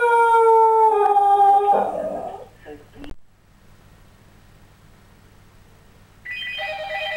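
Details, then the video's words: A Scottish Terrier howls when the phone goes off, a long, steady, tuneful, wolf-like howl that fades out, with a phone ringing. "Fergus the Scottie Dog sings the blues - howling at its best funny"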